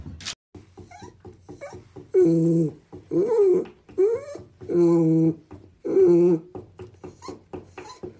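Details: Cat meowing indoors: several drawn-out, wavering, nasal meows with rising and falling pitch, separated by short pauses, over low background rumble and small clicks.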